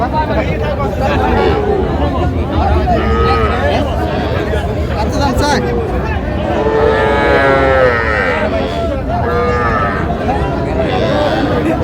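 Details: Young Sahiwal bull and heifer calves at a busy cattle market, 14 June 2025, bought by a Jamalpur farmer: several calf moos rise out of constant human chatter, the clearest a wavering bellow near the middle, amid haggling voices.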